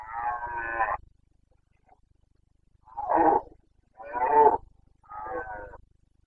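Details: Carpathian red deer stag roaring during the breeding season in the Bucovina mountains of Romania, 29 September 2022: four hoarse, harsh bellows about a second long, the first longest, separated by short pauses.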